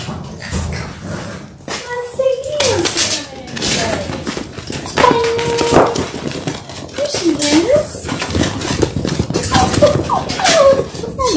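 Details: Labrador Retriever puppies in their sixth week, a litter of six indoors on a live puppy cam; rising and falling tonal whines and wavering yelps, some bending sharply downward, over a background of scuffling and a person's voice.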